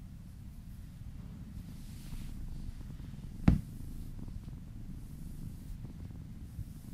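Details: Cat purring softly while massaged, a quiet low drone interrupted midway by one sharp brief tap or click.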